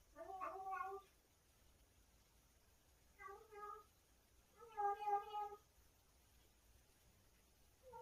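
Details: Cat making odd sounds while eating something tasty: three harmonic, warbling meow bursts, each about half a second to a second long, separated by quiet gaps, in a quiet indoor setting.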